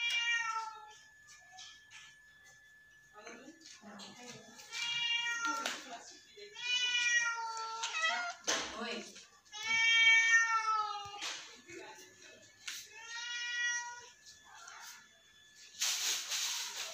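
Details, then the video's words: Domestic cat loafing and looking at the camera, giving a series of drawn-out, tonal meows, some rising then falling, repeated with short pauses, over a faint steady hum and brief rustling. "Sweetest loaf's meowing"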